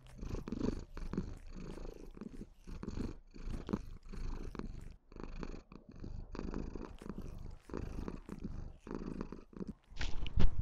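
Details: Affectionate white Maine Coon kitten Lilith giving a sweet, loud purr toward her owner; even low rumbling in regular breath cycles about one per second, with a short sharp noise at the end.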